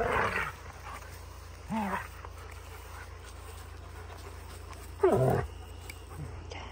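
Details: German Shepherd puppy, described as happy, giving a few short rising yelps and whines spaced a few seconds apart, with a low steady background hum.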